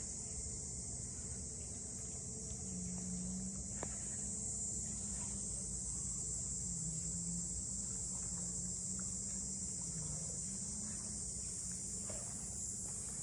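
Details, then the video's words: Cicadas calling in Ine no Funaya, the port house townscape north of Kyoto: a steady, unbroken high-pitched buzzing drone fills the whole stretch, over a low hum and a few faint ticks. "cicadas voice"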